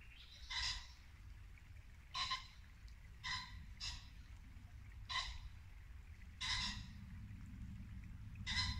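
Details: At dusk in a Norfolk woodland in late winter, a muntjac deer gives seven or so abrupt, clipped barks spaced one to two seconds apart, with a steady brook rushing in the background.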